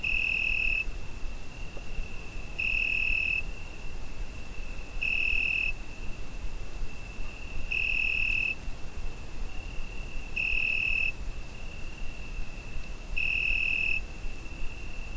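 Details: Crickets on a summer night, recorded with a Zoom H5: a steady, high, thin trill runs throughout, swelling into a louder, brighter pulse about every two and a half seconds, six times, over a low rumbling background hiss.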